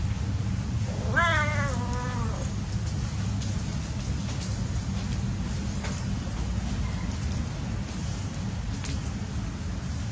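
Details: Playing cat outdoors gives one drawn-out, wavering meow lasting about a second, then falls silent while steady low rumbling background noise continues.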